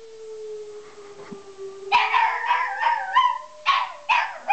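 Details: Pet dog howling at a tornado siren it dislikes. A steady siren tone rises slowly throughout. After about two seconds, loud wavering howls with yelping breaks begin and repeat several times over the siren.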